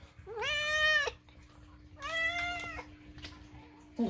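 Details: Loud food-demanding meows from Moo, a rescued house cat, in a small room: two long, strong, wavering cries, each near a second, separated by a short pause, with a thump at the end.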